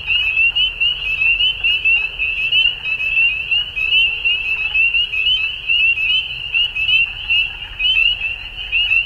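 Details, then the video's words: Dusk frog chorus: a constant shrill, buzzing high trill from many overlapping callers, gently pulsing in volume, with scattered higher clicks and faint low-frequency background noise. "Frogs At Dusk"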